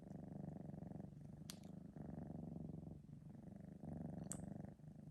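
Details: Purring of a three-month-old male Sphynx cat just after a nap, recorded indoors on a phone: a loud, steady low rumble in breath-length phrases about a second long, with brief pauses and two sharp clicks.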